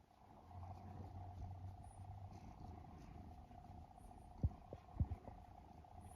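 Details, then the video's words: A sleeping pet cat in Japan, one of three adult rescued siblings, snores and purrs; a low steady rumble runs through the first seconds, then sharp soft clicks and taps stand out near the end over a faint constant hum. "イビキをかく猫ゴロゴロ音に空中ふみふみ♪Snoring Cat"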